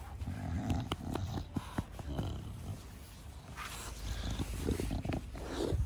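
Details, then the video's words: Bulldog, a male house dog, in a garden with its owner in 2021, breathing in a steady raspy, low snuffle with scattered clicking snorts, the typical heavy 'fugo fugo' breathing of the breed. "ブルドッグと庭でイチャつく映像です(^^) フゴッフゴッの『ブルの呼吸』"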